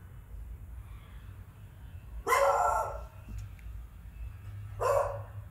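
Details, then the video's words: Adult beagle barking indoors while a beagle puppy named Tubby is frightened by it; two loud harsh barks about two and a half seconds apart, the first longer and ragged, over quiet room hum with a soft reassuring voice before. "Beagle puppy get's scared from an adult Beagle barking"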